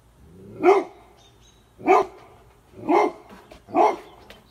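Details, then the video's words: In the United States, a scared Golden Retriever barks at a pelican-shaped pool floatie, giving four loud, separate barks about a second apart that sound wary and frightened. "Scared Golden Retriever Barks At A Pelican-shaped Floatie"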